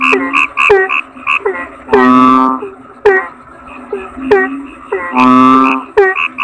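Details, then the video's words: Toad voice: two drawn-out, buzzy croaks stand out amid a rapid scatter of short, chirping clicks that repeat every fraction of a second. "Suara Kodok Bangkong"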